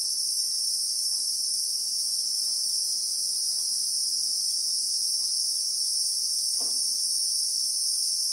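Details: Real-time recording of Christmas beetles (Anoplognathus) in South African bushveld: a constant piercing, two-toned electric-sounding whine holding level throughout, with a short sharp knock near the end.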